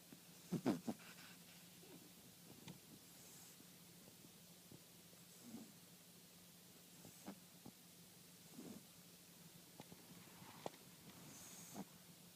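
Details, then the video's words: A French Bulldog snoring: soft, low rasping breaths recur about every one and a half to three seconds, quiet over a steady low hum with a few faint clicks. "The Snoring French Bulldog"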